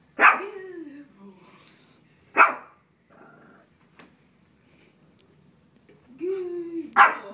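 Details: A small Shih Tzu barking at a frog gives sharp, high barks, each led in by a short whining rise, while a person tells it to back up and shut up.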